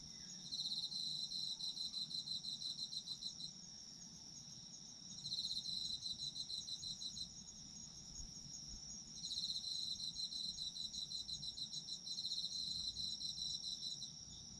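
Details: Autumn insect chorus where a high buzzy trill comes in bursts of several seconds, starting about every four to five seconds with quiet gaps between. A thin continuous high whine from more insects sits under it throughout.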